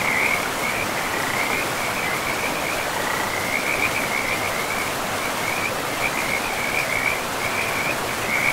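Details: By a forest river among trees and moss, many frogs keep up an unbroken, high, rattling trill, rising and falling slightly in strength, while the river rushes steadily underneath.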